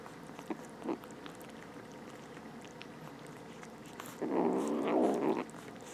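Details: Two young stray kittens, freshly rescued from outdoors, eat. Faint chewing clicks are broken near the end by one loud, drawn-out harmonic growl-like murmur lasting over a second.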